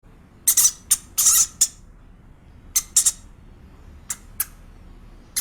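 A hamster gives short, harsh, high squeaks in uneven bursts with brief pauses between them.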